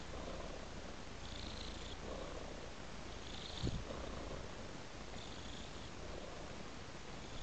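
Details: A cat's unbroken low purr rumbles throughout, rising and falling gently with each breath about once a second, with a brief soft knock midway.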